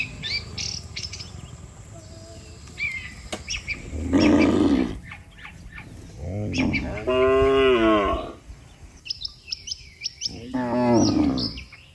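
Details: Dozens of cows lined up along a road call the herd to head home to the pen. Three loud, rough moos arrive a few seconds apart. Busy twittering birds and a low background rumble fill the gaps.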